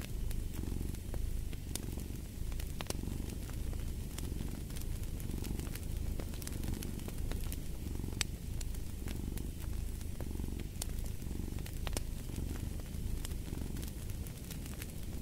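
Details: Domestic cat purring steadily, a low rumbling throb that swells and fades with each breath roughly every second, mixed with sharp crackles and pops from a burning fireplace throughout.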